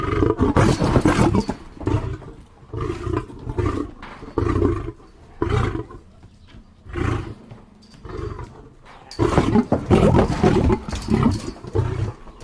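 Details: Lion roaring in a rhythmic sequence of booming, gravelly grunts, roughly one each second, loudest and densest at the start and again at the end, with softer grunts between.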